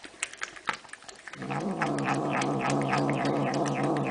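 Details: Domestic cat giving a long, low, steady growling wail rich in harmonics that begins after about a second and a half of scattered clicks and rustles, then holds unbroken to the end.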